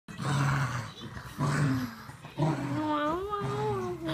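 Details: Boston Terrier and Whippet mix dog playing tug-of-war: deep rumbling growls in short bursts, then a wavering whine that rises and falls near the end.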